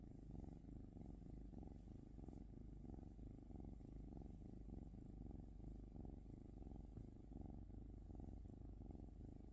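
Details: Domestic cat purring steadily, a low rumbling drone with rhythmic pulses as it breathes in and out, continuous through the whole stretch with no other clear sounds.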